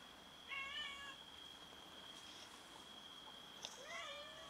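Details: Domestic cats fighting over food give two short meows, one early and one near the end, the last rising then sliding down, separated by a quiet stretch filled by a constant thin high whine.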